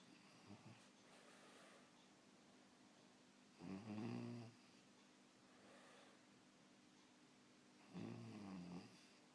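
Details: Sleeping French Bulldog puppy snoring indoors, two loud raspy snores near four and eight seconds with wavering nasal whistles, fainter breaths in between against soft background hiss.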